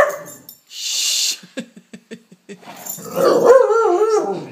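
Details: Female former Palestinian street dog, now living in Canada, playing excitedly with a lamp shade indoors: a burst of hiss and a run of light taps, then a wavering, whiny howl that rises and falls.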